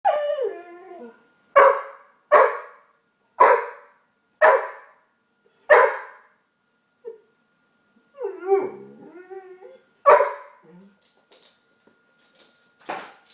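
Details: Dog making odd noises at home: a run of short, sharp barks roughly every second, opening and breaking into a wavering whine-howl in the middle, then more barks and a couple of soft yips at the end.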